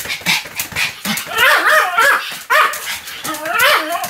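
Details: Sam the Pomeranian keeps up continuous barking, recorded 7 October 2015: a dense, unbroken string of shrill yaps and yelping barks with almost no pause.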